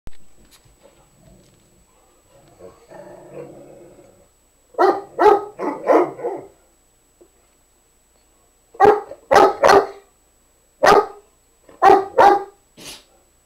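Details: Pet dog named Nikki trying to get another dog, Nubbs, to play: a soft low grumble, then bursts of sharp barks, mostly in pairs and triplets, with quiet gaps between.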